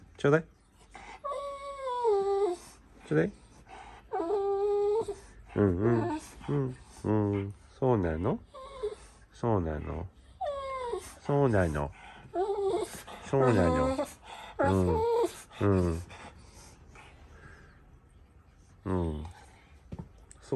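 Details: A Golden Retriever's morning "talking": bursts of warbling, moaning whines that bend up and down in pitch, repeated every second or two for about fifteen seconds before fading, heard in a small indoor room.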